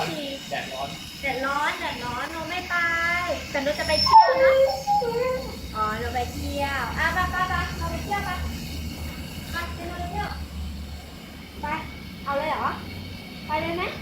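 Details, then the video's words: Female Siberian Husky Piano, a pet who started talking at six months, vocalizes indoors in long run-on strings of warbling, howl-like moans that bend up and down in pitch, with brief pauses and a low background hum. "My Siberian Husky Start Talking"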